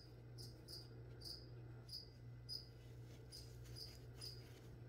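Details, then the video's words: Short, high cricket chirps repeating evenly around twice a second inside a small room where plants are being sprayed, with a steady low hum underneath. "[ASMR] Spray and Chirp (some whispering | spraying plants | cricket)"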